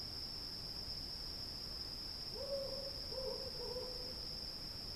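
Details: Cicadas droning through a night field: a constant shrill whine, with a short series of mellow hoots halfway through against a quiet, hissy background.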